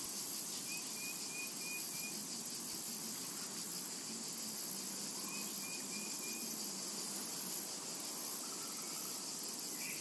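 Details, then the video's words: Cicadas in a summer meadow: a dense, unbroken high-pitched hiss throughout, with faint short chirping bursts from a bird repeating every couple of seconds in the background. "Summertime and Cicada Ambience"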